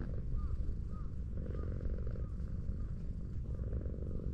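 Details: Friendly tortoiseshell cat lounging on a hillside road and being stroked gives a continuous low purr in pulsing waves, while short chirping bird calls repeat softly in the background outdoors.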